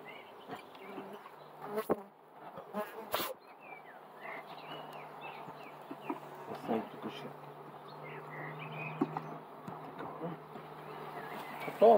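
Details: Honey bees around a worked hive give a soft continuous hum under a low steady tone, broken by handling knocks and clicks, with faint chirping notes in the background.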